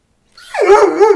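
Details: Young male Irish Setter, 14 months old, frisky in cold weather while playing with a water bottle indoors; one short voiced bark-whine rising in and holding a steady harmonic tone for under a second.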